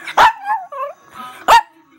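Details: Female Chihuahua talking back and finally getting her way: two sharp barks over a second apart, with wavering, whiny vocal sounds between them.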